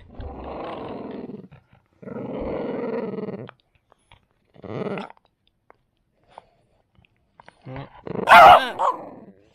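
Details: French Bulldog growling in rage when someone tries to take its deer bone away: long rough rumbling growls of one to two seconds, separated by pauses, ending in a sharp snapping bark.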